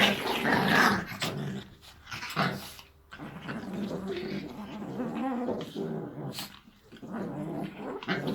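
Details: Chihuahuas at play, giving continuous low rumbling growls with snorting breaths, loud and nearly unbroken through the recording.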